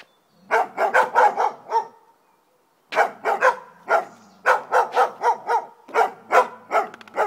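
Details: Dogs barking as a Rhodesian Ridgeback confronts two poodles: rapid volleys of harmonic barks, five or six in a quick run, then a silent pause before more bursts resume.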